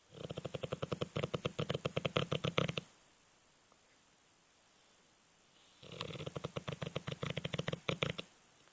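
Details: Sleeping male Alapaha Blue Blood Bulldog snoring heavily, two bursts of fast, rattling, buzzy snore pulses separated by about three seconds of quiet breathing, the pulses evenly repeated and loud.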